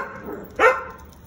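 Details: One short bark from an American Akita in Gurgaon, a sudden harsh burst, with background murmur before it.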